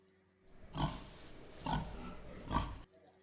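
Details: Wild boar, one of the animals living in the bushes of the Oleshky forest, played for children to guess the animal by its voice. Three rough, broadband grunts come about a second apart over a low background hiss.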